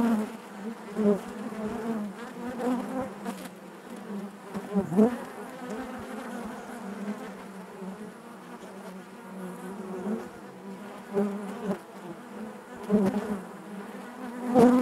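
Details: Honey bees buzzing inside their hive, a dense steady drone centred low with harmonic bands above, rising and falling in loudness as individual bees pass close with brief louder swells.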